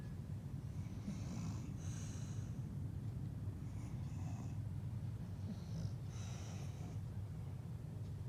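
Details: English bulldog asleep and snoring loudly indoors: breathy, hissing snore bursts repeated about every two seconds over a steady low rumble.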